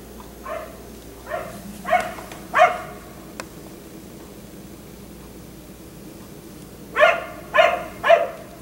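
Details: A black Labrador retriever left out until 1am at night barks twice softly, then twice louder, then there is a sharp click and a long quiet gap before three more quick barks.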